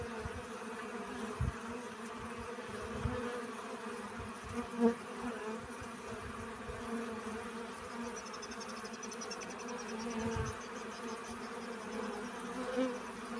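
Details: Steady, even droning from honey bees collecting pollen, a layered hum with little change. A faint high, rapid trill, perhaps a bird, sounds around eight to ten seconds.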